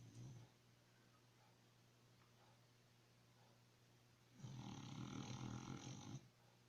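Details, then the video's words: Sleeping dog snoring indoors: a low hum with a single rough, breathy snort lasting about two seconds near the end, after a long quiet stretch. "Snoring Dog."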